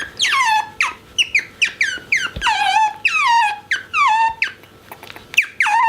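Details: Pet otter squeaking excitedly when shown his favourite orange towel or napkin, indoors: a rapid series of high, harmonic squeaks, each sliding downward, repeated about every half second with brief gaps, no other notable sounds.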